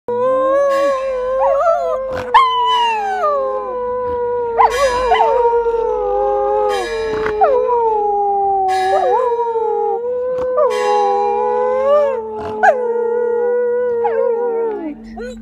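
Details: Two Samoyeds howling along with ringing church bells: sustained, wavering, overlapping howls that slide up and down continuously, while clanging bell strikes sound at intervals throughout.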